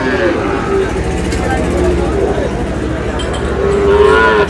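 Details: Sahiwal breed cattle, young bulls, Noakhali, Bangladesh: a short moo at the start and a longer rising low at the close, set against constant low rumble and murmuring voices.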